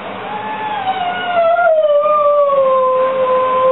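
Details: Beagle named Kallie screaming at home alone about two minutes after her owner left, a long sustained tonal howl that slides slowly downward in pitch and grows louder over several seconds, with strong overtones.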